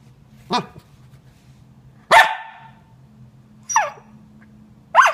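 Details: A frustrated female Corgi puppy, upset when things are hidden from her, gives four rough, squealing "dinosaur noise" barks, each a sharp rising-and-falling burst, over a low hum.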